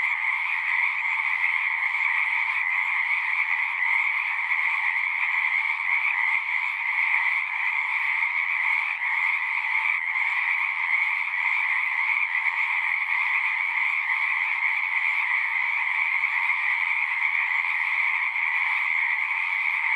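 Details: Singing frogs heard as a thick, ceaseless chorus, overlapping rapid trills fused into a uniform buzzing drone with two bright pitch bands, steady in volume, with a faint low hum at the start.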